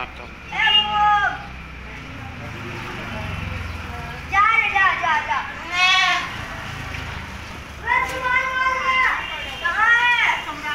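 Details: Black Bengal goats at a desi goat farm in Kolkata give loud, wavering bleats in four bouts across about eleven seconds, each one quavering and nasal, while a human voice talks at low level between the calls.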